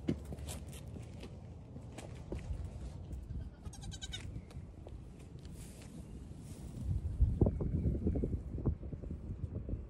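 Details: Young goat kids, one day to one week old, among fifteen newborns on a farm, crowding friendly around the camera; a brief harmonic bleat around the middle of the recording, over steady low rumbling handling noise and shuffling.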